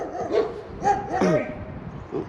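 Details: One of two large German Shepherds guarding a tree swing by a footbridge near Balgonie, Fife, Scotland, barks in short, harsh bursts at a passer-by while a man talks nearby.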